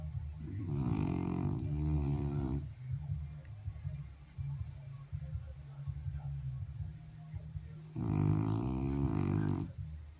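A French Bulldog snores in two loud, rattling bursts over a steady low rumble of breathing.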